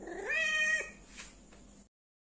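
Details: Injured orange stray cat asking for help to be treated, later rescued: one drawn-out meow that rises and then holds steady for almost a second, followed by a short soft rustle and a faint click in a quiet room.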